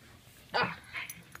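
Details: Border Collie being dog-sat, refusing to give its ball back and 'talking': a short, harmonic, throaty grumble that slides down, followed by a softer second murmur, with a person's voice nearby telling it to drop the ball.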